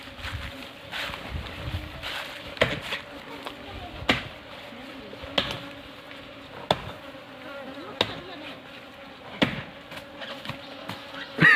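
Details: Honey bees around a honey harvest: a steady low droning hum with a fainter higher overtone runs throughout, broken by sharp clicks and knocks from handling about every second, with faint voices in the background.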